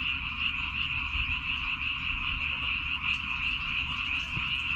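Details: A rice-field frog chorus on Baengnyeongdo Island, many animals croaking at once in a continuous, trilling buzz with slight pulsing, over faint low background noise.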